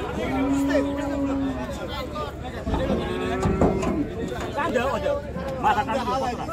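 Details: Cattle being unloaded from the river side at a busy village cattle market; a steady mid-pitched moo lasting over a second, then a shorter lower one, amid constant crowd chatter and shouting.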